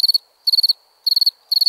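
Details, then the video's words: Short stretch of night-time cricket chirping: four shrill chirps, each a rapid burst of about five pulses, separated by short silent gaps. "Relaxing Chirping Crickets"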